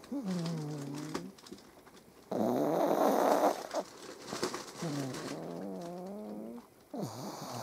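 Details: A pug snores in the morning while just waking up and lying on its owner, with wavering, groaning tones and a harsh, rasping snort in the middle; cats may be purring nearby.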